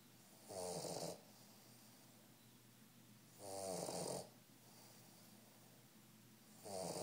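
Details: A 3-month-old male Old English Bulldog snores while asleep in loud, rattling rasps about every three seconds.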